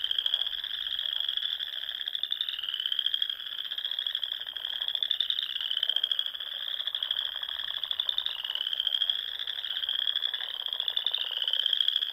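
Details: Massed frogs singing over the small lakes of Nebraska's Sandhills on a spring evening, a high unbroken trill that swells and ebbs, with short upward-gliding notes recurring every couple of seconds.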